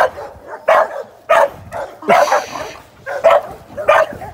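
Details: Amstaff sporting dog in training, readied for ADBA top dog shows; irregular harsh barks roughly every half second to second, separated by brief lulls.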